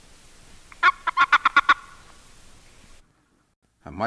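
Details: A boreal toad (Bufo boreas), a species with no mating call, gives a rapid burst of short, bright warning chirps when seized by another male.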